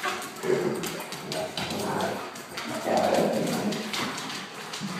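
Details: Akitas vocalizing during play with a German shorthaired pointer, sounding fierce but friendly. Gruff, grumbling bursts come in quick irregular succession, with several louder swells of growly noise and background chatter.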